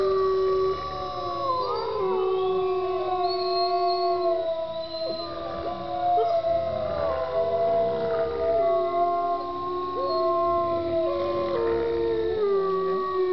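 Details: Chorus howl from a group of wolves kept at Bays Mountain Park, Kingsport, Tennessee; several drawn-out voices weave together, steady low notes stepping down while higher howls rise, bend and break throughout.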